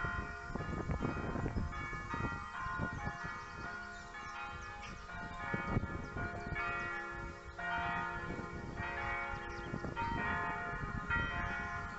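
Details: Church bells ring out in a layered, resonant peal with no animal voices audible.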